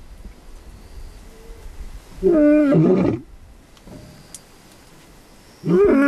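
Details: Lion at Olare Orok producing two loud, strained roar-like calls about three seconds apart, each a rich harmonic moan with a rough, grunting edge, over quiet outdoor background.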